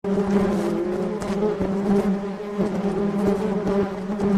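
A dense, steady hum of many honey bees in flight, droning low with a slight wavering pitch.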